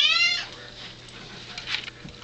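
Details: Pet cat demanding something in the morning, perhaps water: a short, loud, clear meow at the outset, then quieter rustling and faint background hum.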